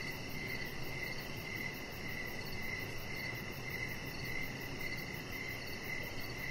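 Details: Crickets at night outside by a deck, a chihuahua puppy nearby; high chirps blur into a near-continuous trill with faint brief pulses above, set over a muffled low rumble.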